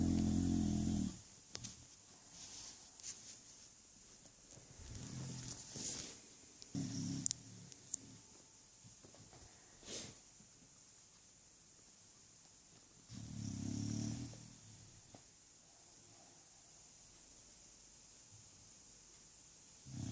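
An English bulldog snores in low, rumbling bursts with quiet pauses between breaths.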